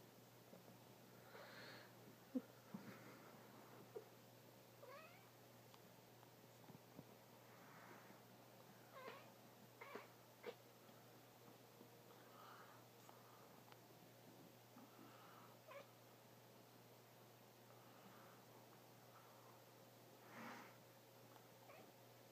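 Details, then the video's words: Cat crying oddly while watching a reflection: faint, short, broken cries and chirps scattered across the recording, separated by quiet gaps, with a few soft clicks in the background. "Cat makes weird noises"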